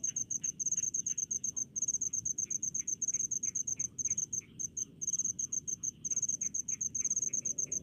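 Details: Cricket in a rice field setting in the countryside, sharp high trilled chirps repeated rapidly in short bursts separated by brief gaps, with faint lower insect calls and low rumbling noise beneath.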